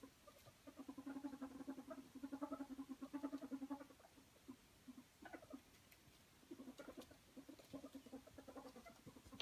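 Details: Happy ferret dooking during rough-and-tumble play: a dense four-second rattle of soft low clucks, then a quieter gap with a few higher squeaky notes before the chatter resumes.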